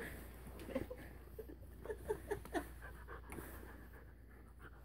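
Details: A Rottweiler puppy chasing a laser pants in short, quick huffs, a few sharp breaths clustered together.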